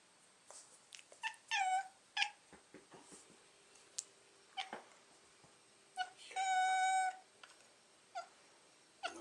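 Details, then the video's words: Domestic cat "talking": a steady, drawn-out meow held for nearly a second, with a shorter one earlier and scattered brief chirps and soft clicks between them, indoors. "Кот Босс говорит!"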